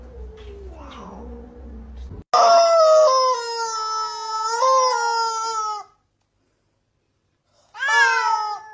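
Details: Cat in a collection of funny cat scenes gives a long, loud, drawn-out yowl with a wavering pitch, then falls silent before a shorter falling cry; soft background murmur at the start.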